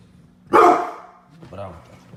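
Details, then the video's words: Angry Pit bull giving one loud, harsh, rasping bark, followed by a softer, lower trailing bark and a quiet background hum. "Sound of Pitbull dog barking very loud, angry, loud"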